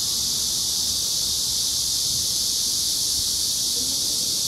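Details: Korean giant cicada: a loud, steady, high-pitched buzzing drone holds without break throughout, with only faint low background rumble beneath.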